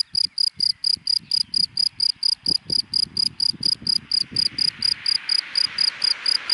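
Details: Cricket chirping in dry grass in daylight, short piercing pulses steadily repeated about four times a second, while a passing car adds a rising hiss toward the end and soft low rumble.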